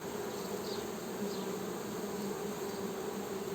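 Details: Honey bee buzzing in a steady, continuous low drone with a strong hum and its overtone, unbroken for the whole stretch, with faint short chirps higher up.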